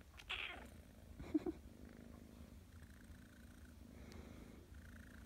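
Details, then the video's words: Persian kitten, grouchy in the morning and enjoying belly rubs, purring steadily throughout with a low continuous rumble, a short meow-like burst near the start and faint soft sounds in a quiet room. "Persian kitten loves belly rubs"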